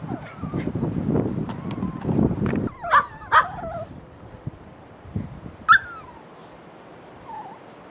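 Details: Several puppies give high wavering whines and three sharp yelps near the middle, after a stretch of low rustling and thumping; the last whines fade into quiet.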